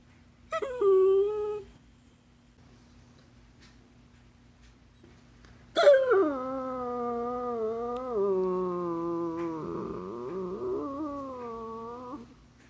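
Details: Talkative basset hound vocalising indoors as if telling its owner something: a short whine near the start, a pause, then a long sliding moan that drifts lower, wobbles and warbles, and tapers off after about six seconds.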